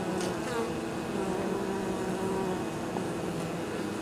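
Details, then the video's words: Honey bees at an apiary on 23 October, unusually mild for the season, returning to the hive with pollen and probably nectar from fields nearby; a steady layered hum of many wingbeats, with brief passing buzzes rising over the drone. "Abeilles. Rentrées de pollen et nectar le 23 Octobre"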